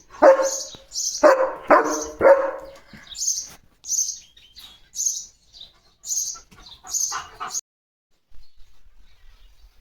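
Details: Pet German Shepherd Leo answering a sparrow: a quick series of loud barks, roughly one per second at first, then fading, while the bird's sharp high chirps continue and end the exchange before quiet.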